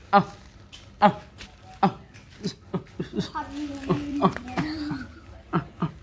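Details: Puppy barking at a crab: short, sharp yaps with a downward sweep, repeated roughly once a second, some louder than others, while a human voice speaks over the middle stretch.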